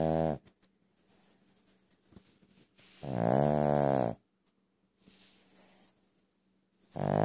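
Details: Pet Brussels Griffon snoring very loudly: harsh, rasping inhalations of about a second with dense low harmonics, separated by quieter breathy exhalations and short silences, repeating roughly every two to three seconds.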